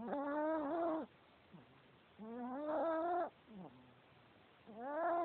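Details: A male Chihuahua snores in his sleep: long, rising, whistly wheezes of about a second each, separated by short quiet breaths.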